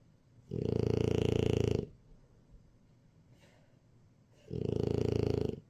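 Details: Jjajang, a French Bulldog, snores during a nap: two drawn-out, buzzing low rattles roughly four seconds apart, separated by a quiet breathing sound, indoors.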